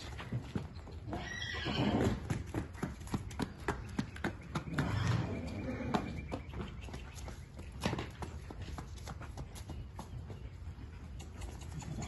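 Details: Registered Mangalarga horse foals: a loud neigh around the second second and another rough whinny a few seconds later, over steady clip-clop of hooves and some speech in the background.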